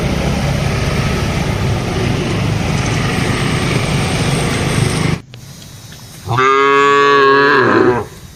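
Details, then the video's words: Herded cattle grazing in a broad plantation, calling as they feed and interact with each other; steady loud rumbling noise for five seconds, then after a short lull a single long, full moo. "suara sapi"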